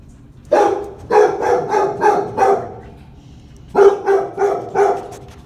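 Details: Kennelled Labrador Retriever named Jojo barks in two bouts: five evenly spaced, resonant barks, a short pause, then four more in the same steady rhythm.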